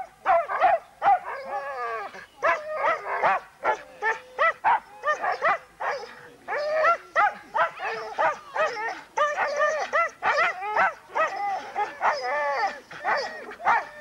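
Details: Excited huskies at a Forest of Dean race weekend, November 2001, bark and yelp in a dense, rapid, overlapping chorus of short harmonic calls, several dogs calling at once throughout.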